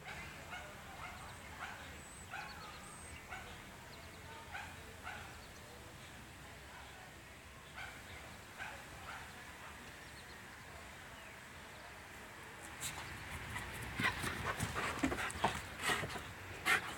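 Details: A male deaf dog outdoors, taken out to relieve himself before a car ride, gives short sharp barks or yips repeated roughly once a second over steady wind, followed by a burst of rustling and clicking noises.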